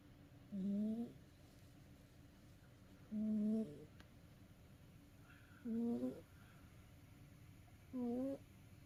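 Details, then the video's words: Domestic cat exhausted from play, asleep and snoring: four short, tonal, gently rising snores that come every two to three seconds, with near silence between them. "遊び疲れた猫のいびき Snoring of a tired cat."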